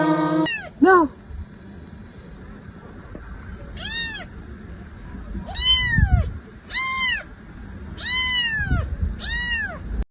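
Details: Domestic cat meowing in a series of about six clear, arched meows, each rising then falling, spaced one to two seconds apart, with a low background hum.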